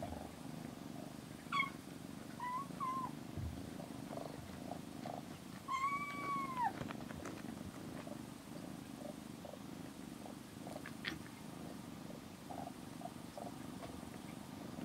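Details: Rescued kitten Aira, 27 days in care, napping with the cat Shipi in a cat room; a few soft arching meows rise and fall over steady low purring.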